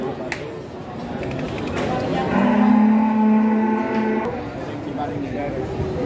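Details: One of a group of giant cattle: a loud, sustained low moo of about two seconds swells in the middle, with people talking and negotiating around it in a busy livestock setting.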